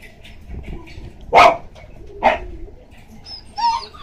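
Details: Female red Shiba Inu puppy, 48 days old, in Osaka on May 27, born April 9, 2014: two short, sharp, high barks about a second apart, then a fainter whining yelp near the end, over quiet room noise.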